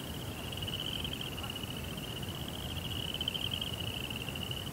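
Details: Cricket chirping at night: a steady, unbroken high trill held at one pitch for the whole stretch, fairly soft over a low rumbling background hiss.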